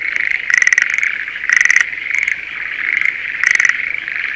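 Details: Breeding-season Schlegel's green tree frogs in a spring rice field near Sendai, Japan: repeated rattling, pulsed croaks roughly once a second, rising and falling in loudness over a steady background chorus.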